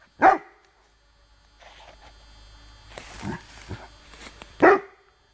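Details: Rhodesian Ridgeback in the woods, baying a branch during bark command practice: one strong bark, a stretch of rustling and scuffing, then a second deep bark near the end.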